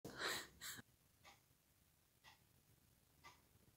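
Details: A fat Siamese cat, disgruntled with another Siamese cat, gives two sharp, breathy hisses, then fainter hissing breaths about once a second.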